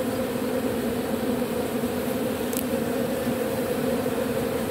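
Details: A robber bee collecting propolis from matchsticks hums in a constant low drone with a strong overtone; one short click sounds near the middle.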